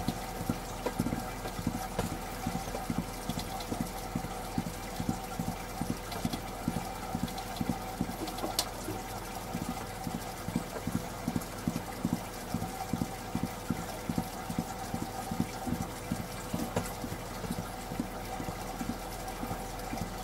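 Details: Rapid, nearly continuous low drumming from a Mongolian gerbil's stamping feet, dense rows of muffled thumps running for twenty seconds beneath a steady mechanical hum.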